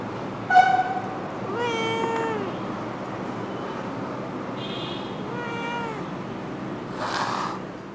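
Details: Domestic cats meowing: a sharp high mew, then longer wavering meows that bend up and down in pitch, with a softer drawn-out meow later, against low hiss and a brief rustle near the end.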